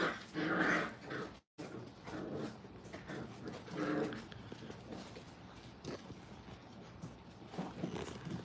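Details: Brittany puppies during crate and tunnel training at a kennel, giving soft whining whimpers with brief yips in short bursts, several louder cries near the start and around the fourth second, indoor background noise.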